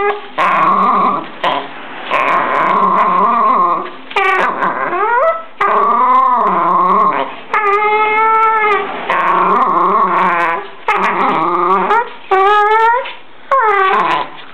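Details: Jack Russell Terrier from Verona, called nervous and aggressive, vocalizes in a long run of tonal whining growls that swoop up and down in pitch, broken by brief gaps, with yips at intervals.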